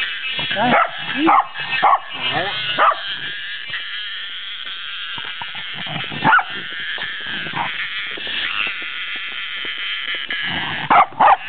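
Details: Cicada encountered by a wary Welsh Corgi, giving a sustained rasping high-pitched buzz that runs through the middle stretch, while the dog's barks and yips break in near the start and again at the end.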